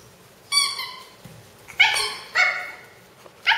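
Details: Shih Tzu puppy playing with a new toy gives four short, high, yappy barks, the first longer and drawn out, then three sharp yips spaced about half a second to a second apart, in a quiet room.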